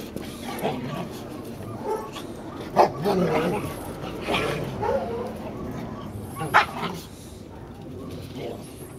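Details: Rottweiler Toby plays in the snow with another dog and gives a few sharp, short barks and yips, with people talking in the background.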